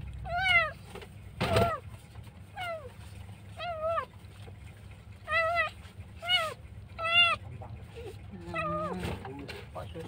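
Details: Abandoned kitten found alone by the roadside, crying very loudly, apparently left behind by its mother or dumped, during a rescue. Eight loud, arching meows rise then fall, each about half a second long, spaced unevenly over ten seconds above a low steady hum.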